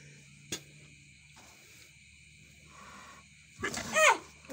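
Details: Adult cat placed in a cat house together with kittens; after near silence with faint hum and a single click, a short, bright meow with a rising then falling pitch rings out near the end, with light rustling.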